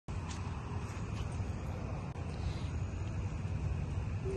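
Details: A continuous low-pitched vehicle rumble fills the recording, with a faint hum near the end. No animal calls can be picked out.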